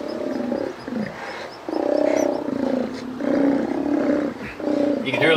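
Sea lions give deep, hoarse, drawn-out roars in repeated bursts, with a man talking faintly underneath.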